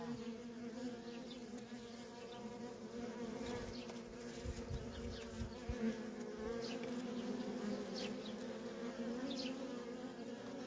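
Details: Nonstop traffic of worker honey bees at a feral colony, a dense continuous drone with stacked harmonics, swelling slightly midway, plus faint ticking and clicking sounds throughout.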